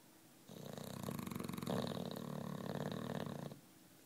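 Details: One drawn-out, rattling snore of about three seconds from Juanito, a nine-year-old British Bulldog fast asleep, its fluttering buzz swelling in the middle and fading at the end.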